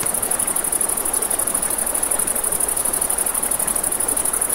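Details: Crickets calling at night near a river and campfire, their high trill audibly pulsed in quick, regular beats throughout, layered over a constant hiss of flowing water and gentle fire crackle.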